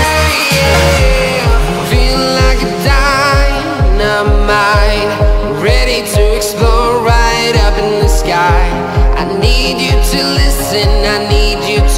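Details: Pop track with a sung vocal line over a thumping regular beat and electronic bass, playing loudly throughout with no animal voices heard.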